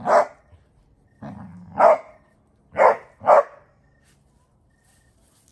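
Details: Basset Hound barking: four loud, deep, resonant barks spaced about a second apart, with a low growling rumble between the first two, in an otherwise quiet room.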